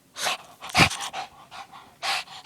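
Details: Lacey, a female Shih Tzu, pants hard during a bout of zoomies, having just raced around chasing her tail. Breathy, noisy huffs come in quick bursts roughly every half second, loud and close.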